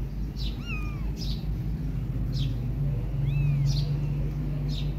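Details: Kittens mewing as mother cat Silky grooms them hard while they want milk instead: two thin, arched, rising-then-falling mews, plus soft hissy brushing bursts about once a second over a steady low hum.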